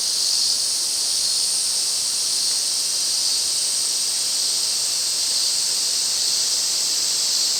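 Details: Massed Ezo cicadas in the Afan Woodland, Nagano, Japan, during August midsummer: a powerful, continuous high buzzing wall of sound with a gently pulsing loudness and no other clear sounds.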